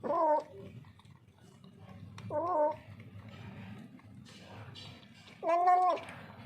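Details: Frightened street cat, hungry and thirsty, lets out three plaintive, harmonic meows with a falling-then-rising wail, separated by pauses of two to three seconds over low room rumble.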